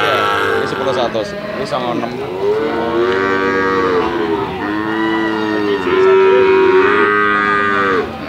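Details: A calf makes a string of connected moos that rise and fall smoothly. The calls are tuneful and harmonic, run almost without breaks, and the last one grows louder.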